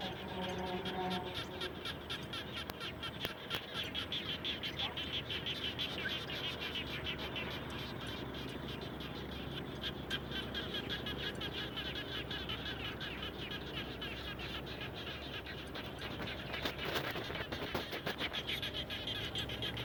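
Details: Frogs calling near a house after rainfall, a thick overlapping chorus of quick rattling pulses and croaks. A short tonal, voice-like sound opens the recording, and a louder burst of calling rises near the end.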